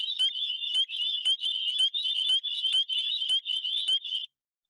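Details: Spring peepers, very small frogs whose calls are the earliest of the year and signal spring, starting on warmer days typically in February, call in a dense chorus of high, clear, slightly rising peeps repeated rapidly.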